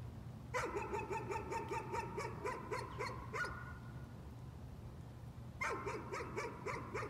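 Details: Dog in a bout of nuisance barking: rapid, fairly even barks about four per second for three seconds, a pause, then another fast burst starting again, all above a constant low hum.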